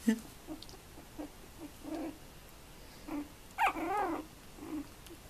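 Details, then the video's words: Female Tibetan terrier, born 2 November 2015, giving a string of short, soft whimpers, then a louder wavering whine that rises and falls near the four-second mark, followed by a few quieter whimpers in a calm indoor setting. "tibeti terrier szuka"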